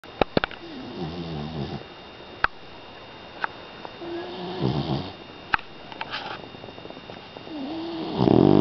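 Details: Hailey, a five-month-old female Pit Bull puppy, snoring loudly while asleep, a habit she has constantly; wavering, nasal snore bursts near the start, middle and end, with a few sharp clicks in between.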